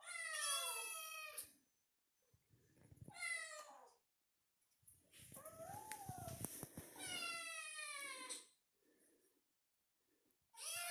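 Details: Young cat crying with loud, bright meows that slide down in pitch. A longer wavering meow in the middle sits over thumping and rustling, with quiet gaps between the calls.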